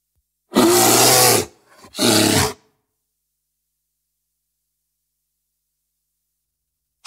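A grizzly bear gives two harsh, rasping roars, the first about a second long and the second shorter, followed by silence.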